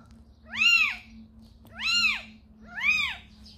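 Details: Calico mother cat and the kitten she carried to a house; three clear, high, arching meows, each rising then falling, spaced about 1.2 seconds apart over a steady low background hum.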